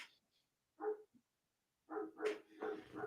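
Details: A neighbour's German Shepherd, heard barking around the same time every night, gives a string of short, hoarse, mid-pitched barks in the evening.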